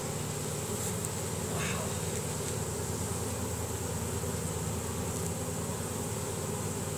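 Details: Honey bee swarm moving into a new hive box, bees streaming in after the queen while releasing Nasanov pheromone: loud continuous buzzing hum with a throbbing low drone, unchanging throughout, with a few faint ticks.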